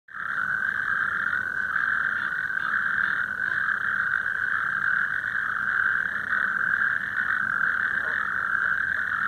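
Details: A chorus of natterjack toads calling at the Omsteg, Azewijnse Broek, gives loud, continuous rattling trills that merge into one unbroken churring drone.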